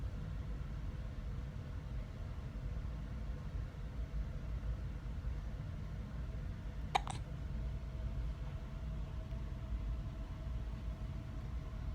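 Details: Steady low rumble like an engine or vehicle fills the recording, with one brief sharp click near the middle and no animal voice.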